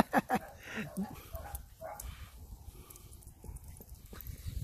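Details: Mini Dachshund puppies at play with a Pug of five months; a quick series of sharp, rising yips and little growls opens, followed by softer scuffling and faint voices.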